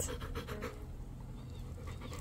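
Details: A wet female dog eating corn on the cob pants in quick, breathy bursts at a steady rhythm, loudest in the first second, then fading to softer breathing; low background hum throughout.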